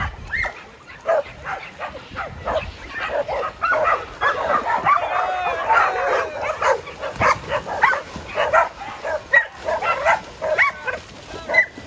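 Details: Jed, a tri-colour Border Collie about to turn seven, barks at a farm to round people up on time. Loud barks come repeatedly with uneven gaps, and a few rough, drawn-out ones come in the middle.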